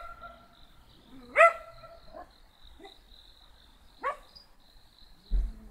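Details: A small black dog gives two isolated high yappy barks about three seconds apart, with quiet gaps between and a thin constant high-pitched tone in the background.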